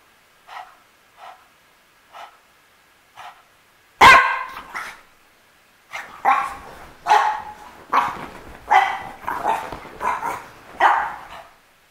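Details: Four soft, evenly spaced yips from Misha the French Bulldog give way to a loud bark, then an excited run of about eight harsh barks roughly every half second, rising in intensity before stopping.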